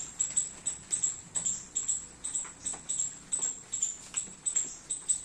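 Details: In a rainy garden a squirrel eating baby coconuts repeats high, sharp chirps in quick uneven bursts, about two or three per second, over soft patter.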